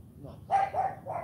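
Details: CHARME, a female AKC Cane Corso puppy, during morning training: three short, gruff barks in quick succession, the first loudest, each a harsh burst with a clear mid-pitched core.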